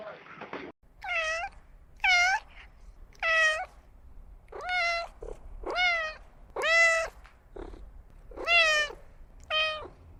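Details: House cat uttering a series of high, arching meows, nine short calls that rise then fall, with a low steady hum underneath.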